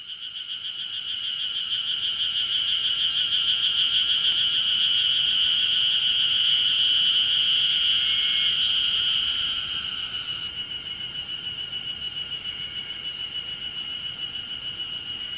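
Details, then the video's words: Ezo harusemi cicadas call from all around on Mount Ryozen, Date City, Fukushima, on 20 June 2021 in early summer. Their steady, shrill, pulsing drone swells and then eases slightly. "エゾハルゼミが鳴く霊山"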